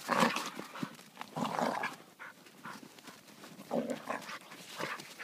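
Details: A German Wirehaired Pointer hunting dog in Romania, outdoors in winter, gives short, gruff, breathy barks in about five uneven bursts over five seconds, with rustling between them.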